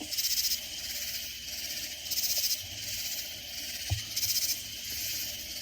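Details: Loud katydids in Texas Hill Country, about 30 miles north of San Antonio, give harsh, buzzy bursts repeating about every two seconds over a steady insect hum.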